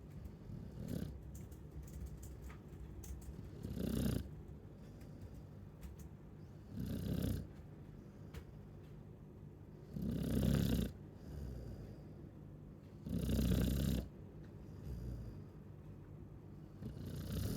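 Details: A Chow Chow dog snoring: low, rough, rumbling breaths swell into louder snores roughly every three seconds, with quieter breathing between them and a faint hiss on each breath.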